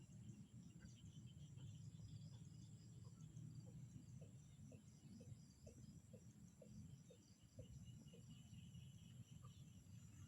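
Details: Frogs heard in a peaceful natural setting. Short tapping calls repeat at a regular pace for several seconds, set against ringing insect drones high above and a heavy low-frequency rumble.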